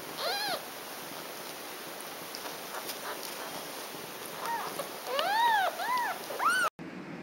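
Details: Cat mom nursing her baby kittens; one arched meow at the start, then after a pause a cluster of five or six rising-falling meows of varying length before an abrupt cut.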